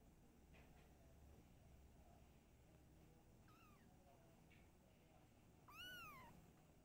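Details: Household with a mother cat and kittens: faint short mews early on, then one louder drawn-out meow that rises and falls, over a low steady background hum.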